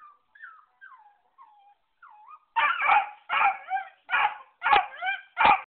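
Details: A little pet beagle first gives a string of soft, high, sliding whines, then bursts into five loud, rough barks spaced roughly half a second apart.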